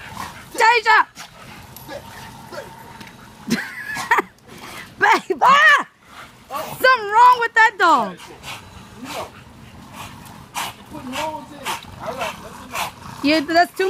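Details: American Bully dogs giving high, excited yelps and whining calls that rise and fall in pitch, coming in short bursts between loud human talking and encouragement.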